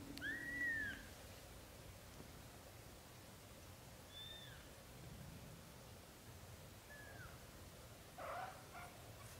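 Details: Young British Shorthair kittens, up to 30 days old. One clear, high, arched mew opens, followed by a few faint squeaky calls and a short scuffle near the end, over a quiet background hum.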